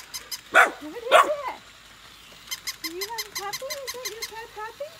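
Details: Golden retriever puppies, sibling pair Nala and Scout born August 2020, meeting and playing with a new puppy indoors: two loud sharp barks, then a run of thin rising-and-falling whines over rapid rhythmic squeaking.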